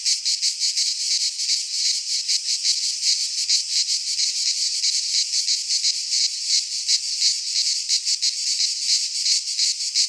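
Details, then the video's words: Cicadas singing in midsummer in a Greek pine forest: a dense, continuous high buzzing chorus with rapid pulsing throbs, steady and loud throughout, with no other sounds. "Cicadas singing in midsummer - Nature sounds from the Greek fauna - Sounds of cicadas"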